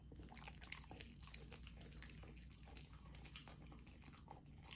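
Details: Lilo, a golden retriever puppy on a raw diet, tries raw lamb for the first time: dense, wet chewing and biting clicks in a fast, irregular stream over a steady low hum.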